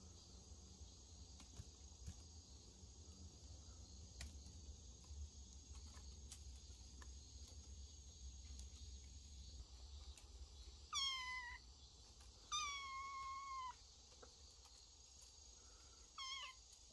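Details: Cat from a family of cats living in a woodpile, recorded 25 August 2022: three high, harmonic meows near the end, the middle one drawn out for over a second, above steady chirring crickets and insects.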